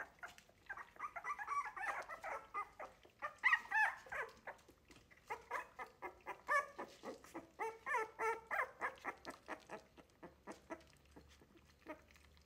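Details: Wire-haired Miniature Dachshund litter at three weeks old, loudly objecting while learning to eat food not from their mum; busy overlapping whines and short yelps, bursts of louder cries in the middle.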